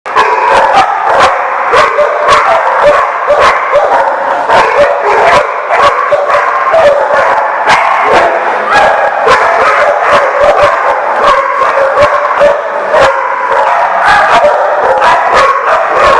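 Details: Dogs recorded on August 29, 2014, barking constantly in a dense, loud chorus of short, sharp, overlapping barks, several per second, with no break throughout.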